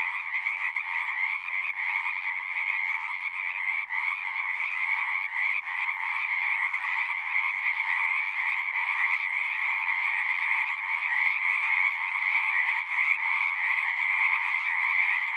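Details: Massed frogs keep up a continuous chorus of fast, overlapping croaks, roughly three pulses a second loosely audible within a steady buzzing wash of two pitch bands, loudness gently rising toward the end.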